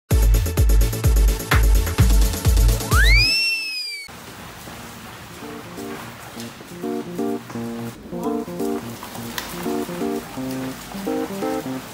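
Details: Upbeat electronic music with a rising swoosh effect, then a lighter plucked melody over soft rain-like hiss, no animal heard.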